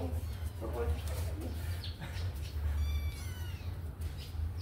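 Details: Kittens let out of their cage to run and play give a few thin, high mewing cries with stacked overtones around the middle, over a steady low hum and scattered clicks and rustles.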